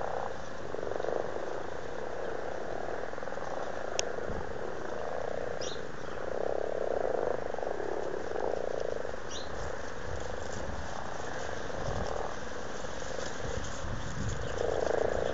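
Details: Very amorous frogs in a pond at Blarney, Cork, Ireland, in February 2012 give low, rattling purr-like croaks in distinct bursts roughly every two seconds, with faint clicks and soft water noise between.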